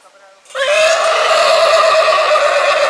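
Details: Purebred horse whinnying in spring: after a brief quiet start, a loud, steady, clear tonal neigh with rich stacked harmonics holds unbroken for two and a half seconds.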